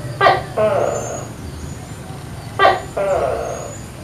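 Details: Tokay gecko calling in the morning from a coconut tree in a backyard with many tall trees. Two loud two-part calls, each a sharp clipped note followed by a longer, lower croaking syllable. Faint thin bird whistles sound in the background.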